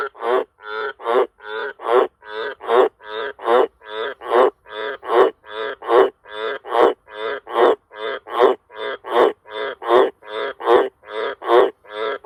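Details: Wild Australian green tree frogs (Litoria caerulea), which live around a house and farm sheds and breed in cattle water troughs, give loud, deep croaks, a steady series of about one per second.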